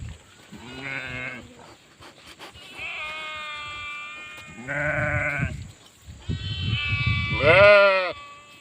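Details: Several sheep bleats in quick succession: a short nasal baa, a long wavering bleat, a loud harsh one, then a rising strained cry near the end, with low rumbling noise underneath.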